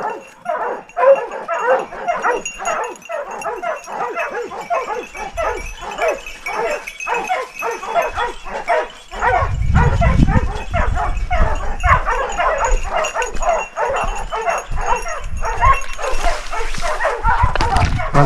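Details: Pack of dogs baying a big wild boar in Ribagorza, Huesca; rapid, continuous overlapping barks nearly two per second, with low rumbling scuffles midway and a man's voice briefly.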